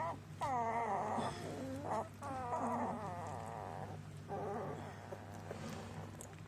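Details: Border Collie puppies, Maya's litter, whimpering and whining in bursts of wavering high-pitched cries lasting about a second each, with short pauses between, over a steady low hum.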